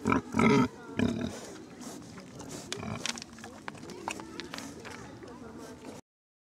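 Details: A wild boar met in Schönbuch nature park near Tübingen lets out two loud, harsh, rasping grunts close together, then softer snorts, snuffling and low rumbles, with faint human voices behind.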